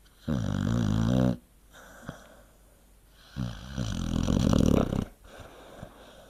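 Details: Snores of a sleeping dog: a deep, vibrating snore, a silent gap with a small click, then a longer wavering snore that swells and trails off, low and throaty throughout.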